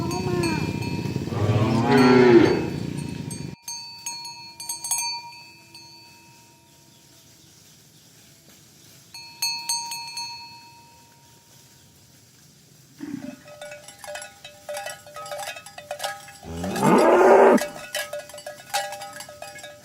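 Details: Herded village cows heading to the pen in the morning; a loud, rough moo opens, followed by quieter stretches of cowbell clinks and a harsh burst of lowing near the end.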